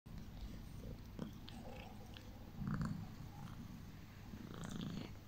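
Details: Domestic cat purring while getting ear rubs, which she loves: low, steady rumbling throughout with a louder swell near the middle and again toward the end, plus faint rustling.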